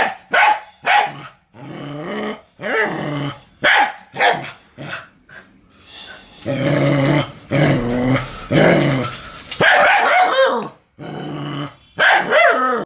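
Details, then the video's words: Dog barking and growling in a series of loud, short, harmonic bursts, some rising and falling yelps and whines, with rougher, noisier stretches in the middle and brief silent gaps between calls. "Different dog sounds ( barking, drinking,etc)"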